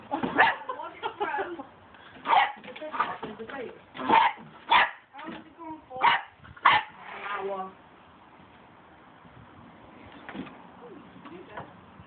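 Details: A Cocker Spaniel barks at a broom handle in sharp, uneven barks, some single and some in quick pairs.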